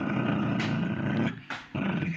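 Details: Pomeranian dog growling indoors: a continuous low rumbling growl broken by a short snarling burst, then resuming.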